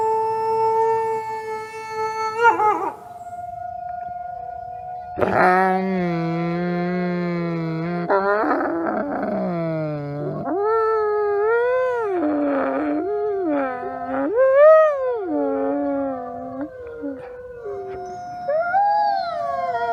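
Wolves howl in long, smooth tones, some voices holding steady while others bend up and down.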